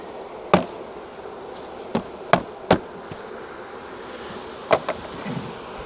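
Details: A wild honey bee swarm being shaken from a tree branch into a five-frame nuc box hums steadily beneath a series of loud, irregular knocks and taps from the equipment.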